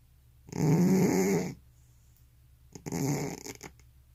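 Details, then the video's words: Elderly pet cat snoring indoors, its sleep marked by apnea: two loud, rasping, buzzy snores, the first a steady second-long drone with a harsh wavering tone, the second rougher and broken after a quiet pause. "고양이 코골이+수면무호흡증"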